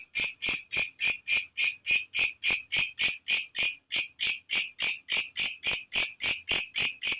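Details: Katydid calling at night, a loud shrill insect call: rapid, very regular pulses repeated about three and a half times per second, sharp and high-pitched, with no other sounds.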